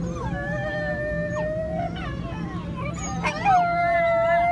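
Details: Pet Chinese crested dogs and a Dobermann howling together to hurry their owners for the daily walk; long sustained howls held at a steady pitch, one voice sliding up, over a constant low hum.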